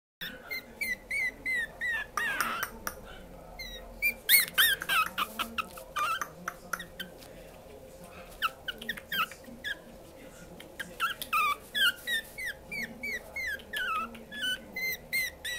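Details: Female puppy at a breeder, a Yorkshire-type Aibebii girl with round eyes, giving rapid high squeaky whines and yips in quick bursts, several per second, with brief pauses; faint low room noise underneath.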